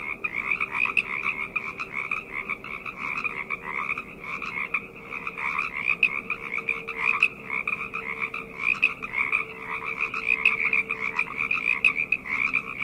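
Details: Many frogs croaking together after dark, an unbroken buzzy trilling chorus with pulsing swells roughly every second, plus a faint steady hum lower down throughout.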